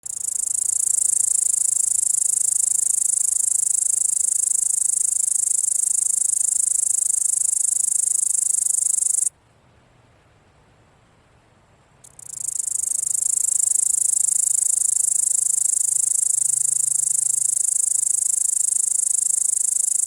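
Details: Grasshopper giving a continuous high, hissing buzz that runs steadily for about nine seconds, stops abruptly for roughly three seconds of near silence, then resumes at full strength until the end.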